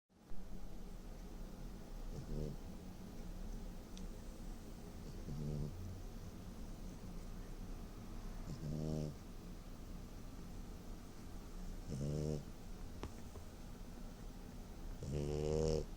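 A French bulldog snores in low, rattling rasps that come roughly every three seconds.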